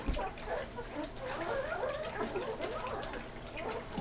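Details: Great Dane puppies, a litter of ten at weaning, eating side by side; a rising whine climbs through a mash of lapping, smacking and gulping noises, while someone talks gently nearby.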